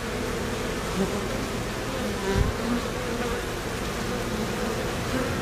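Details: Bees lined up in a row at the hive entrance, fanning to cool the hive, make a steady, dense, low buzzing hum that holds without a break throughout.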